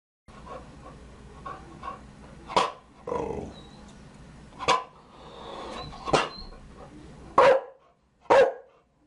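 A Chow Chow gives loud, single barks spaced a second or two apart.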